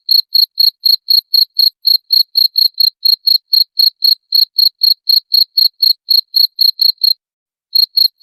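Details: Cricket chirps for repelling rats: crisp, high ringing pulses at a steady four-per-second rhythm, pausing briefly near the end before two more chirps; nothing else audible.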